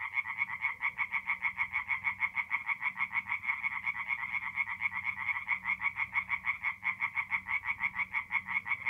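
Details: Tree frogs in full song after dark in a north-east Italian forest pond, mid-April: quick rhythmic croaking bursts pulse about twice a second, a steady throbbing chorus over a soft low rumble.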